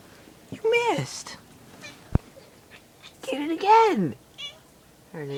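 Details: Pet cat indoors, annoyed at a mosquito high in the ceiling corner, gives two arching, rising-then-falling meows about three seconds apart, then the start of a third; one sharp tap in between, otherwise a quiet room.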